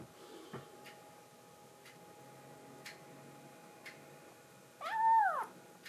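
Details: A rescued kitten, Momiji, threatens the approaching kitten Kuromame to keep a man's lap for herself: one clear, arched meow near the end after light ticking sounds and a steady faint room hum.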